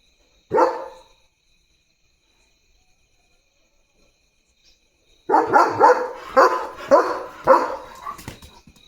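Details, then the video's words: German Shepherd barking loudly at a dog seen outside during early morning barking duty: one sharp bark, a pause of several seconds, then a rapid run of about seven harsh barks. "German Shepherd Barking Duty"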